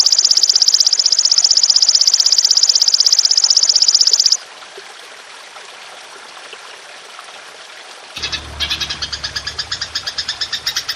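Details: Belalang emas, the golden grasshopper, used as master audio to train songbirds, delivering a long continuous high buzzing trill for four seconds, then near silence, then renewed rapid pulsed chirps over a low rumbling hum.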